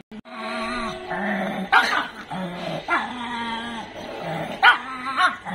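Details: Dog at a dog training school and pet care centre in Jodhpur, 26 September 2022: long, even, mid-pitched whining tones with a steady buzzy quality, broken by three sharp, loud barks near the middle and end.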